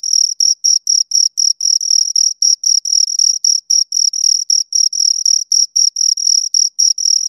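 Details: High, thin chirps from two crickets repeating at a quick, regular pace of about four per second, each burst a brief raspy pulse with a fainter upper tone, against total silence.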